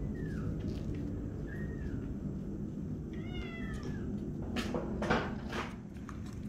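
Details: Tiny kitten learning to walk on a slippery floor, making a few thin, faint, falling mews and one brief wavering cry, with scuffing and clattering sounds from movement on the floor.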